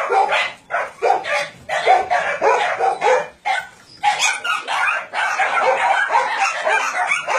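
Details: Crowd of dogs barking at a meat farm cum puppy mill holding roughly 150 dogs in Nonsan, South Korea, January 2017; dense overlapping barks in long volleys with one brief lull in the middle.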